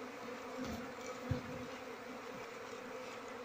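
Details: Steady droning hum of a queenless Asian honey bee colony (Apis cerana) whose combs are full of honey with no larvae, during hive handling; a low tone with faint upper overtones, and a soft knock near the middle.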